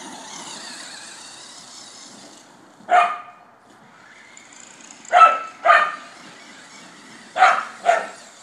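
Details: Border Collie barking while chasing a remote-control car: short, loud, sharp barks, one alone then paired barks about half a second apart repeated twice, with a high whining motor hum beneath.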